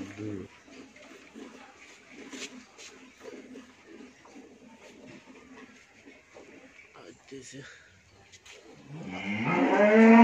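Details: On a dairy farm in Bhangura, Pabna, Bangladesh, a first-calving Friesian cow with her heifer calf gives a strong, deep, drawn-out moo that rises abruptly at the close, after quiet farmyard noises and scattered knocks.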